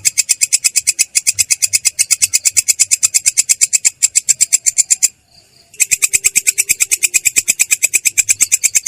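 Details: Katydid, locally belalang kecek, rolling ("ngerol") with a clear, coarse voice; quick harsh metallic pulses repeat steadily, stop for under a second, then carry on at the same pace.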